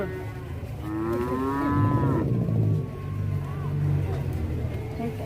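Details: A fierce farm cow in Indonesia gives a long, deep, droning moo, joined briefly by a higher, bending bellow, while men talk and laugh nearby.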